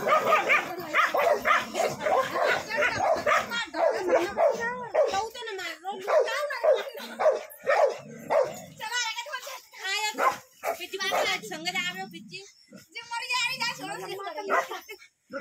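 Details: Indian desi dogs fighting fiercely in a village, snapping barks, yips and whimpers tumbling over one another at a fast uneven pace, with people shouting and talking throughout.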